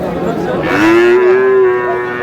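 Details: In Mymensingh, Bangladesh, on 7 May, a Sahiwal breed bull calf gives a short moo that slides upward and holds steady, following a brief burst of noise, while people talk in the background.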